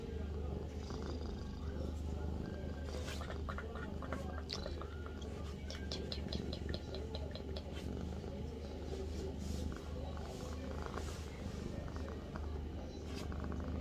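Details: Deep rhythmic purring from Avi the cat in a bathroom, a constant low buzz beneath a scatter of light tapping and clicking sounds through the middle.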